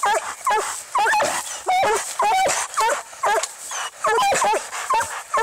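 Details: Treeing Walker Coonhound fighting a raccoon: choppy, high, bending yelps and barks in irregular bursts with short pauses, steady hiss behind.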